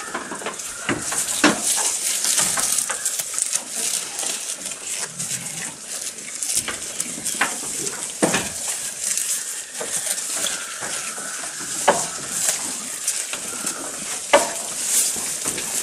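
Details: A goat chewing its food at close range gives repeated gritty crunches and clicks, some louder cracks standing out, over a continuous hissing background.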